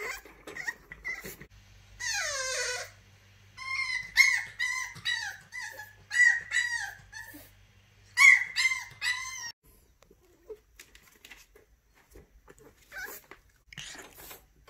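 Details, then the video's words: French Bulldog puppy in his cage, trying to unlatch the door and escape, gives a long sweeping whine, then a run of short, wavering high whimpers that stop after about nine seconds, followed by faint rattling. "Frenchie Puppy Prison Break"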